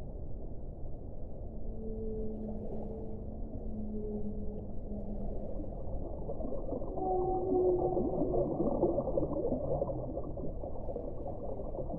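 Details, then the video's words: Whale song with paired drawn-out moaning tones at two pitches, repeated twice, then a cluster of higher wavering cries and squeals grows louder in the second half, all over a low continuous underwater hiss. "1 ora di suono delle balene"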